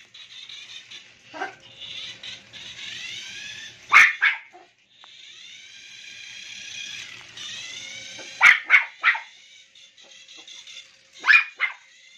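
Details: Toy Poodle named Maple playing with a remote-control toy, giving a few sharp, high yipping barks in short bursts, with a steady whining, harmonic motor drone from the toy filling the gaps between them.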